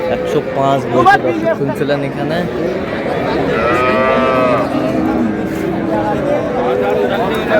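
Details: At Ambari Haat market in Dinajpur on 1 May 2026, cows kept with calves: one long, rich, harmonic lowing swells in the middle, while people talk loudly throughout the crowded market.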